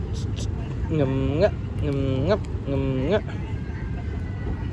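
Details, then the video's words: Calico domestic cat giving three drawn-out meows, each about half a second long, steady then rising at the end, spaced roughly one per second over a low traffic rumble and faint background voices. "Cute Calico Meow Meow"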